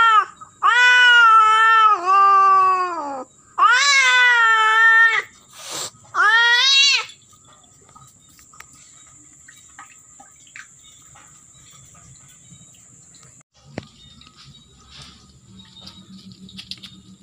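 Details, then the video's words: Female domestic cat in heat calling during mating, giving three long, loud, wavering moaning yowls over about seven seconds, each strongly harmonic and slightly rising then falling, followed by near silence with faint rustling. "Kucing Kawin Suara Betina mengeong || kucing betina birahi"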